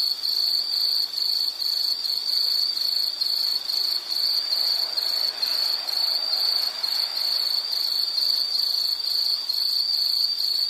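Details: Insects chirping steadily in a relaxing nature recording, a high pulsed trill repeated rapidly over a faint background hiss.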